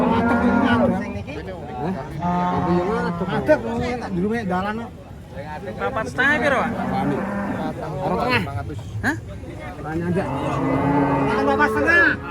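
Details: Emaciated cattle, pitied as nothing but bone, lowing in long harmonic moos, several overlapping with one another, with people's voices and background noise mixed in.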